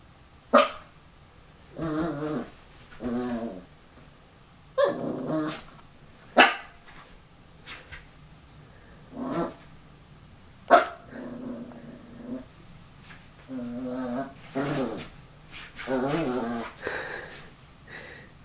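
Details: Puppy Dougal confronting his reflection in a mirror, puzzled that the other puppy won't play; repeated short rough growls and yappy barks about every four seconds, some drawn-out grumbling growls, indoors in a small room.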